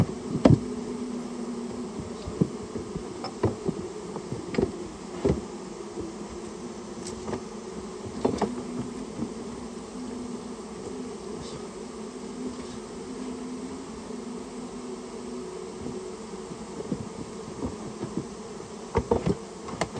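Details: Steady drone of a Japanese honey bee colony lodged in a storehouse and being removed at the owner's request; an even two-tone hum fills the recording, with scattered clicks and taps from the work.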